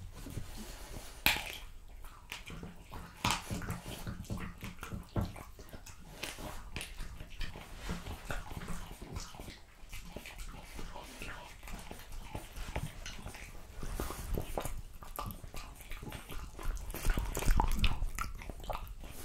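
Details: French Bulldog eating raw quail, lamb kidney, diced lamb and beef testicle indoors: dense wet crunching and smacking bites, irregular clicks and tearing noises, with louder crunches toward the end.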